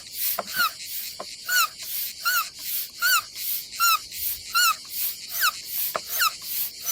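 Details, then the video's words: Cicadas on a summer day at an Adriatic seaside campsite in Croatia: a rhythmic, harsh high buzzing pulsed just over once a second, each burst carrying a short falling whistled tone, steady and regular throughout. "Silent ASMR vlog with nature cicadas sound"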